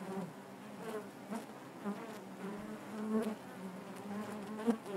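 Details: Steady hum of many honey bees within the hive, a low droning band with overtones above, fairly even in level with small bursts as single bees fly near.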